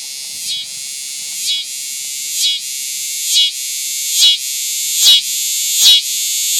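A cicada's steady, high, hissing buzz swells in regular pulses a little under once a second.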